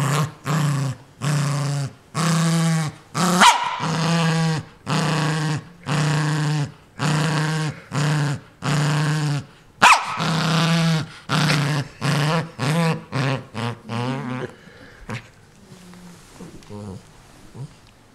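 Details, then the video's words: Pet dog Ninja guards a new toy from everyone: steady series of deep growling pulses roughly once a second with a couple of sharper barks, fading to quiet rustling at the end. "Angry dog attacks toy"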